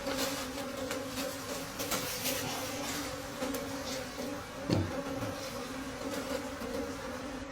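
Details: Steady hum of wild bees at a forest honey harvest late in the season, the twin-toned drone running under sharp clicks, knocks and scraping as dark honeycombs are handled.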